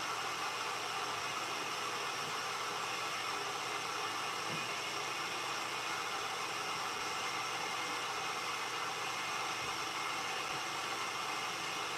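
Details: Constant broadband hiss like a fan or engine fills the whole stretch, with no animal voice.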